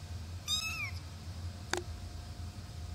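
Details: Male Singapura kitten, 23 days old, recorded indoors in late July: one short, thin, high meow that slides downward over half a second, followed by a single sharp click against a low background hum.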